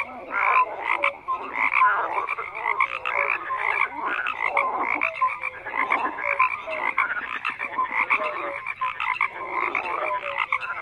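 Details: Frog chorus of overlapping rasping croaks swelling and fading in bursts, with short whistled notes and a few sharp clicks among the calling animals.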